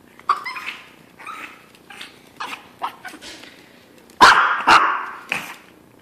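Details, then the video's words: Hungry before breakfast, Chino the Chihuahua mixes soft whimpers with scattered yips, then three sharp, loud barks near the end. "Hungry Chihuahua cries for breakfast"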